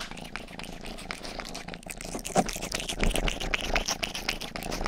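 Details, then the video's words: Purring from Rang-i, a youngest house cat giving an ear-licking ASMR grooming, mostly buried under rapid wet licking clicks, about one or two per second, over a soft low rumble. "ASMR 하는 고양이!(Purring & ear licking sound)"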